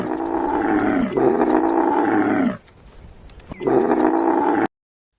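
A camel gives a deep, gurgling, rumbling roar in two long bursts, separated by a short quiet pause.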